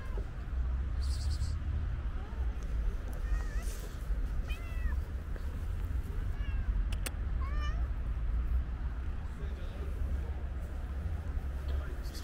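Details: Energetic stray tuxedo cat meowing while jumping at and grabbing a leg; a handful of brief, bent mews in the middle stretch, with a steady low rumble underneath.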